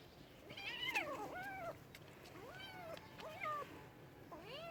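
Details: Cats giving a quick run of about five short meows, each sliding up then down in pitch, some chirpy and clipped, others longer and whining, with faint low background noise.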